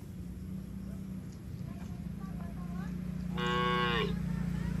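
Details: Tame herd cattle on a mining road heading to a green village give one short, bright moo near the end, preceded by a steady low hum and faint background noise.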